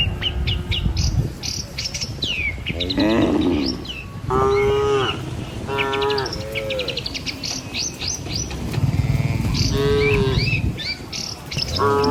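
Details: A herd of dozens of tame cattle crossing a river bridge on the morning walk to pasture near a village; repeated mid-pitched moos, some short and some drawn out, with many chirping birds throughout.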